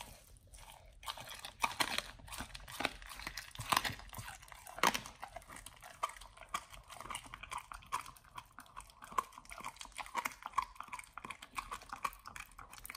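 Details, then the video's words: Nomyen the Pit Bull's first meal of a raw whole Thai duck; steady run of moist crunching and gnawing, sharp bone-cracking snaps standing out every few seconds, quiet room behind. "nomyen the Pit Bull 1st time eats Raw🦆Whole Thai Duck [ASMR] MUKBANG 動物の咀嚼音 | 犬が生の肉を食べる [咀嚼音]"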